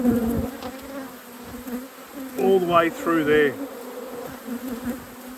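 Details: Honey bees at a productive apiary during a hive inspection: a steady low hum with a clear overtone band, interrupted midway by a brief burst of human speech.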